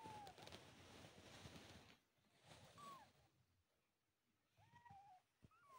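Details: Newborn kittens, several together, mewing as their eyes first open; short, thin, high mews that slide downward, scattered between stretches of rustling and soft handling noise.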